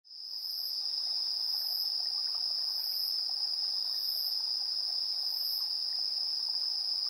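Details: Insects chirping at 7:04 PM on 3 September 2022, recorded in stereo on a handheld recorder: a steady high continuous trill with a second caller pulsing above it roughly once a second, plus a faint lower murmur.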